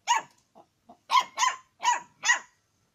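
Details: Dog barking because it wants to eat hot chicken: one sharp bark, two faint soft yips, then four loud, quick, evenly spaced barks within about a second and a half.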